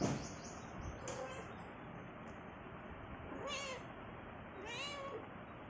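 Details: A hungry pet cat that wants cucumber utters two clear arched meows about a second apart near the end, after a brief noisy clatter, over constant background hiss.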